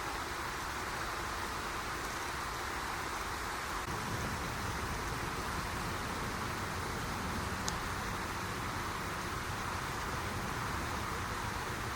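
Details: Steady roar of road traffic and passing vehicles fills the recording, with no bird or other animal voice standing out.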